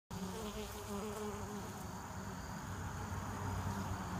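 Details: Honeybees at a hive entrance in the early evening, returning with pollen and nectar for winter as flights wind down. A dense, steady low hum of many wings, with passing bees adding louder droning buzzes.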